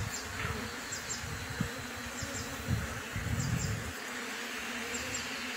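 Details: Many bees humming around a newly set-up beehive, a continuous thick drone, overlaid by repeated low rumbling bursts like wind or handling noise through the first four seconds, with faint high clicks throughout.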